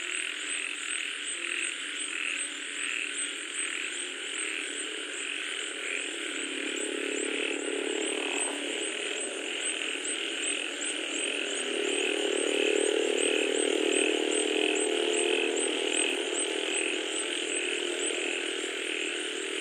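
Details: A rain-time frog chorus: rapid, regular high pulses repeat several times a second over a layered croaking background, while a low engine-like rumble swells and fades in the middle and later part.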